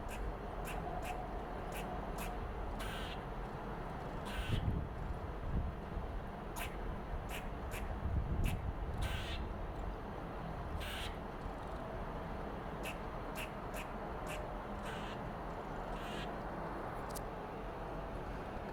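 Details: Red squirrel telling off other squirrels and marking its territory: harsh, noisy chattering bursts repeated irregularly, roughly one or two per second, over a steady low rumble.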